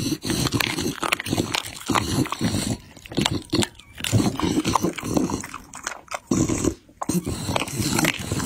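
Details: A Pit Bull eats chicken and raw meat, chewing and crunching noisily, with wet smacking and tearing bites in quick bursts.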